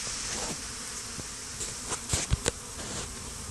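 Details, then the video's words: Honey bees swarming over a stump near beehives and fighting, days after a small swarm was combined with a hive; a steady broad buzzing hum with a few sharp knocks and clicks around the second and a half mark. "Bee War: Battle of the Stump"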